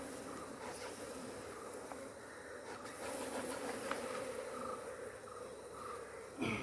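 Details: Honey bees swarming around an opened hive on a Kerala farm during honey extraction; a steady, dense low buzz hums throughout, with faint repeated higher tones and occasional clicks of handling above it.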